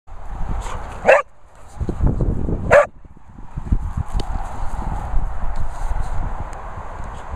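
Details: Springer Spaniel named Holly Berry at a Worcestershire dog training and boarding kennels, giving two sharp single barks about one and a half seconds apart, with low rumbling background noise and faint scuffling throughout.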